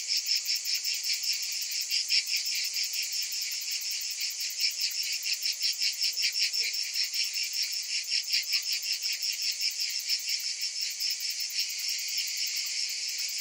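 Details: A hot summer afternoon chorus: cicadas fill the air with a steady, high-pitched buzzing, pulsing rapidly without pause.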